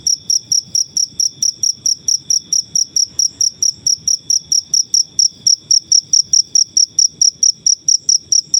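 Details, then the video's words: Cricket from the wild, recorded for bird song mastering: crisp high chirps repeated roughly four times a second in a regular, unbroken series, clean with no competing noise. "Suara jangkrik alam/Cricket Noises"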